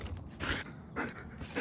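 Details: Border Collie panting in rhythmic breathy bursts about every half second while retrieving an orange frisbee from a toybox at a distance, with its handler praising it right after.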